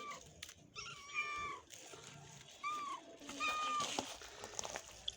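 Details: Mother cat and kitten found on the street, the sick kitten eating for the first time; three separate meows, each bending upward then falling, amid rustling and a faint voice.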